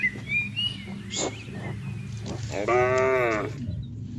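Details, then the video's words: Grazing cattle in a field on a calm morning; after quiet rustling and a low background hum, a single short, harmonic moo near the end, with faint higher thin sounds earlier. "Suara Sapi Lembu Menggema di Ladang"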